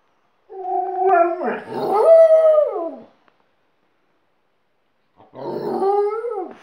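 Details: An Alaskan Malamute and a second dog it has taught to howl, giving long, steady, mournful howls that bend upward and then fall away, a pause, then another sliding howl.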